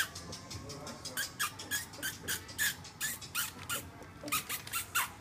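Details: Three-week-old Welsh Springer Spaniel puppies, the litter of Alfie and Tilly, giving quiet, short high squeaks and little rising-falling whimpers, about three per second, over soft rustling and tapping sounds.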